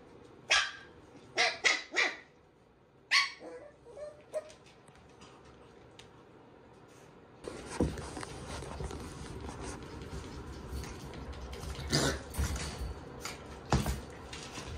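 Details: Standard Shiba Inu puppies meeting an unfamiliar puppy: several short, high yips and barks in quick bursts during the first few seconds, then a busier stretch of scuffling, play noise and occasional sharp yelps.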